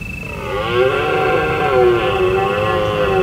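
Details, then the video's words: Deer calling on a full-moon autumn night in the hills of Provence, recorded from a secret bivouac spot during the roaring season: a drawn-out, moaning harmonic roar with wavering pitch lasting about three seconds, over a steady high cricket trill. "Deer Calling under the moon"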